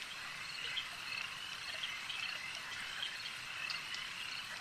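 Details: At a lake, frogs fill the air with a thick, high rattling chorus. Brief louder croaks swell in small bursts roughly every second amid the steady background drone.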